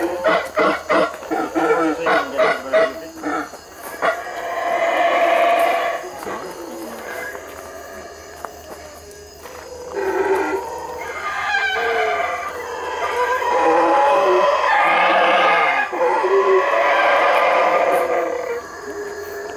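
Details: Boisterous howler monkeys roaring in the Belize treetops; a rapid series of rhythmic grunting pulses opens, then long swelling roars rise and fall in waves, building into a loud sustained chorus.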